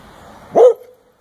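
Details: A dog barks once while upside down, loud and clipped, with a slight rise and fall in pitch at its core; faint hiss before, silence after.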